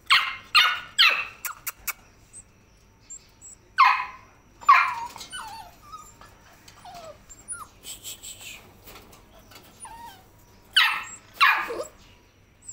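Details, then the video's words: Labrador Retriever puppies, pedigree and microchipped, giving short high yips and thin whining whimpers that curl up and down, in bursts separated by quiet gaps, with fainter squeaks between. "Labrador puppies"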